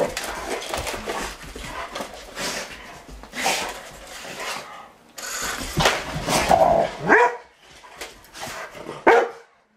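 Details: Rottweilers, kept as pets, bark while playing with a remote control truck: rough, broadband barks in irregular bursts with some brief tonal yelps near the end, over busy play noise.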